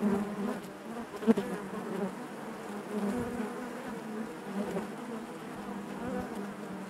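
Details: Inside a honey bee hive: a continuous low, even hum, with a sharp loud burst just past one second as a bee passes near, then a gently wavering drone.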